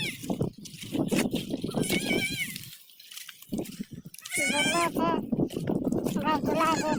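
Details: Goat bleating in several quavering, wavering cries: one near two seconds, a longer one around four and a half seconds, and more toward the end, with people talking loudly throughout.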